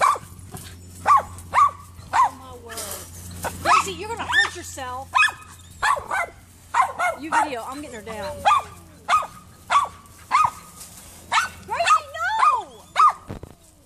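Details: Gracie the poodle, climbing a neighbor's tree to get at Allie the cat, barks in a fairly regular string of clipped yaps, mixed with human speech in the first half.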